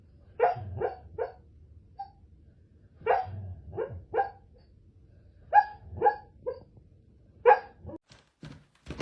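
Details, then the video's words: Pet dogs vocalising while asleep: soft muffled woofs and yips in short bursts of two or three, separated by pauses of about two seconds, in a quiet room. "Dogs ‘Talking’ in Their Sleep"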